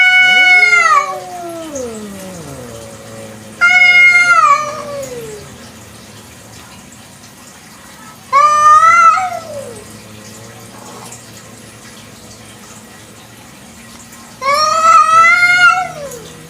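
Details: Village cat at night repeating loud meows roughly every four to six seconds, some sliding downward at the end, with lower drawn-out falling tones and a low hum beneath.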